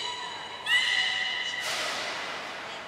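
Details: Captive beluga during a training session with Gray and Mirai at the Port of Nagoya Public Aquarium, 15 June 2022: a clear, steady whistle with bright overtones begins abruptly, followed by a broad rushing burst of sound.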